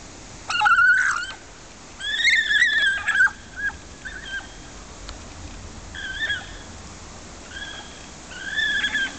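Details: Two vicuñas at Edinburgh Zoo, Scotland, making a racket, give high, wavering, whistle-like calls in short bursts over a quiet background.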